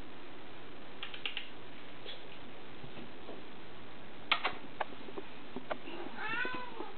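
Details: Pet cat indoors, said to say "momma": a steady low purring rumble with scattered soft clicks, then a faint arched, wavering meow near the end, while a woman's voice keeps asking who it loves.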